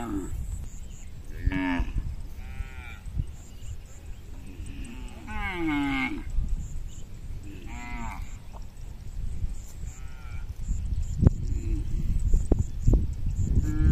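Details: Cows of a tame herd walking home over a small bridge, several short moos and bellows scattered through the recording, with constant low rumbling, footfalls and clattering knocks toward the end.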